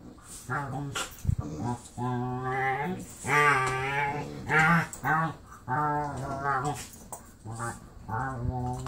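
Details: Pit bull foster sister playing with Marley indoors, a chain of Wookie-style moaning vocalizations, some rising, some wavering, about one per second, with a sharp knock or thump near the start.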